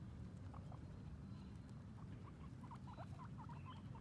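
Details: Two female guinea pigs on their first time outside, exploring and eating grass; quick series of short squeaky chirps rising and falling, growing busier toward the end, over steady low outdoor rumble.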